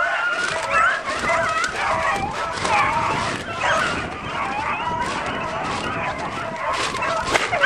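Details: Pack of beagles after roe deer in a chasse au bâton, baying in a thick, steady chorus of overlapping high yelping voices, accompanied by rustling and snapping in the undergrowth.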